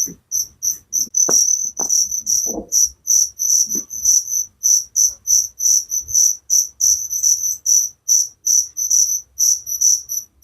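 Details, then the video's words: Nocturnal cricket chirps from a village setting, rapid shrill high pulses running nearly continuously and somewhat irregular, with a few faint whistled sweeps and knocks early on. "Suara Jangkrik penghantar tidur || Relaxing sound of crickers"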